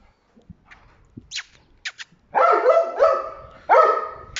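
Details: Red Dobermann Pinscher giving high drawn-out whining calls, three long steady tones after a few faint short sounds, the second and third calls each starting with a sharper rise.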